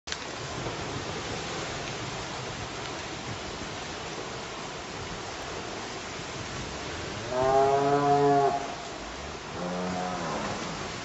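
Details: Cattle being herded at Hacienda los Cascabeles ranch; after a long stretch of steady outdoor noise, a loud drawn-out moo with a descending tone, followed by a second shorter, softer lowing.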